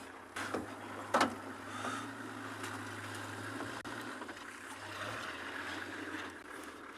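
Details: On a sunrise safari drive, a steady idling engine hum runs under a sharp click and faint rustling, with no animal call heard.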